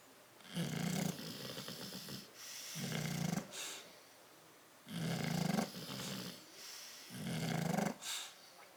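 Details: Crated bulldogs Tyson and Tyra, asleep on 10/30/12, snore steadily: four rough, buzzing low snores about two seconds apart, each with a hissing exhale tail, soft breathing between.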